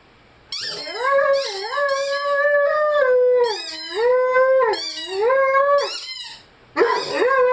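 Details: Lyle, a Rhodesian Ridgeback, howls and sings along with his favourite squeaky toy: long, steady, mid-pitched howls that dip and rise again in several drawn-out phrases, with brief breaks and faint high squeaks above.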